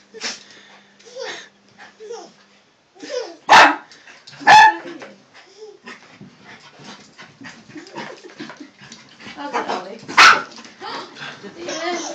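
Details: Toy poodle Holly and a miniature poodle puppy, Ollie, playing together for the first time; three loud, sharp barks near 3.5, 4.5 and 10 seconds, with softer scuffling play noises and a woman talking throughout.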